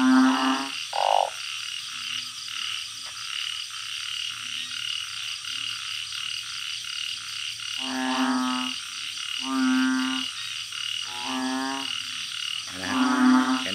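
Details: Banded bullfrogs living in a backyard organic garden in Thailand calling through the night, giving loud, deep, resonant moans of about a second each, in bursts with pauses, over a constant high-pitched insect chorus.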